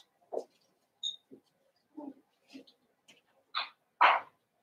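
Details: Seven-week-old Cavalier King Charles Spaniel puppies in an indoor pen at home give a run of short whimpers and yips, about eight brief bursts in under five seconds, with the last two louder and higher.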